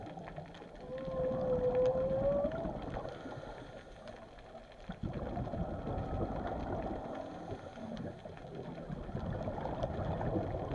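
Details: Whales recorded underwater at Chileno Bay, a single smooth rising tonal moan near the start, then rushing water, boat engine rumble and crackling clicks for the rest.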